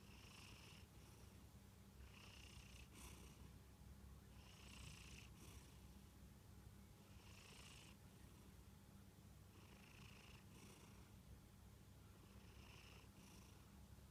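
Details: Sleeping Munchkin cat named Kantaro snores quietly, each airy, hiss-like breath swelling and fading at a fairly even pace, roughly one to two seconds apart, against a constant low background rumble.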